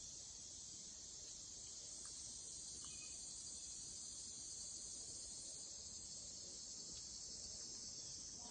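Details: Cicadas drone in a steady, high, hissing buzz that never lets up, calling acoustically to communicate in Wisconsin in late summer.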